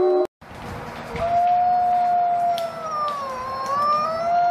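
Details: Wolves in a pack howling: after a brief break, a long, smooth howl holds steady, then a second voice dips and climbs again, other faint howls underneath.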